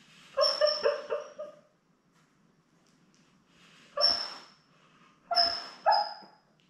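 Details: Labrador Retriever litter of seven newborn puppies, born May 24, 2021, with their mother Belle on a live puppy cam; a run of quavering high whines and squeals, a pause, then three more sharp yelps.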